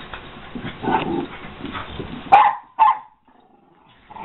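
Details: American Eskimo Dog, a male waiting for adoption at the Baldwin Park shelter, lets out two sharp barks about half a second apart after a stretch of muffled background noise, then near silence.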